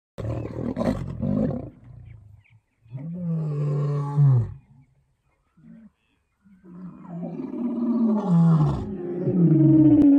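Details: Wild lions in South Africa give deep, low moaning roars: a loud burst at the start, then a long falling moan, a short grunt, and a rising series of heavy, throaty calls swelling toward the end.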